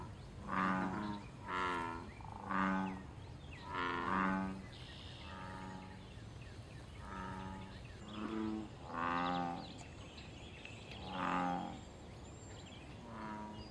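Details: Wild American bullfrog calling from the water of a pond during mating, territorial and fighting behaviour: a long run of about eleven deep, resonant, droning croaks, each roughly half a second, in loose groups with brief pauses between.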